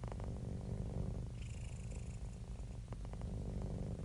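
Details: Contented domestic cat, described as happy and relaxed, purring continuously; deep, buzzing rumble of fast regular pulses, changing slightly in tone between inhale and exhale, with a faint airy hiss midway.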